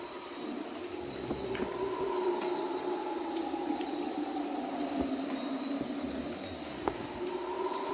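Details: Distant Guyanan red howler monkeys (Alouatta macconnelli) roar in a deep, droning chorus at about 03:00 on a rainy night in the Amazonian rainforest, beneath steady hissing rain.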